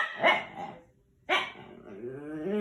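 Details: Pet dog at home giving two sharp yelping barks about a second apart, followed by a rising, tonal whine that climbs steadily toward the end.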